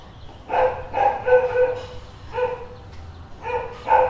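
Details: Street dog barking in short, clear, tonal yelps, about six or seven barks in four seconds, some in quick pairs, against a quiet low hum.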